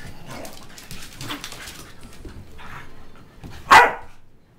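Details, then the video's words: Two tri-color Pembroke Welsh Corgis, Monte and Rocky, play fighting indoors; low scuffling and muffled grumbles build to one loud sharp bark near the end. "Corgi Fight!"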